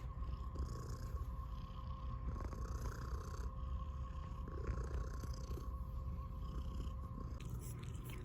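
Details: Milli, a pet cat, purring steadily in a low continuous rumble throughout, with a faint constant hum in the background.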